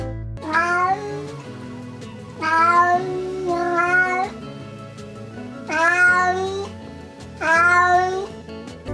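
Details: Neutered male domestic cat wandering alone gives long, drawn-out yowls like a cat in heat, over soft background music; it may mean boredom, a wish to play or a bid for attention.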